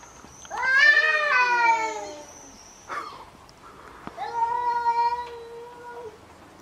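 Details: Fighting domestic cats: a loud wavering yowl that slides downward, a brief scuffling noise, then a second, steadier and softer drawn-out yowl.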